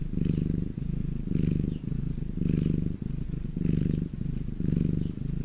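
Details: Domestic cat purring while lying in the sun; deep, steady rumbling purr in low pulsed phrases, swelling and easing in about five cycles, each breath roughly a second long, with no other sounds.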